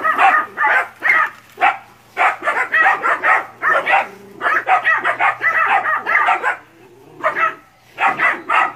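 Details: Pack of nine puppies barking at a big water buffalo during training in West Sumatra, Indonesia; a frantic chorus of high yaps in quick clusters, with a brief lull near the end before more barks.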